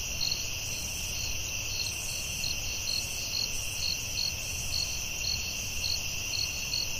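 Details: Crickets at night in a forest, a steady high trill underlying bursts of short chirps near four kilohertz repeated several times a second, with a continuous insect drone and low background rumble.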